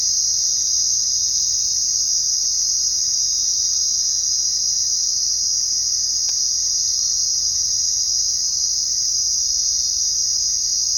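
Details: Cricket chorus on a night outdoors: continuous shrill, even trilling from many insects, interrupted only by a single sharp click about six seconds in.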